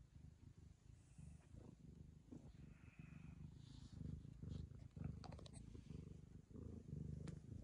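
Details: Ragamuffin cat licking the owner's daughter as a token of friendship, purring in a continuous low throbbing rumble, with some clicks and rustles from about five seconds on.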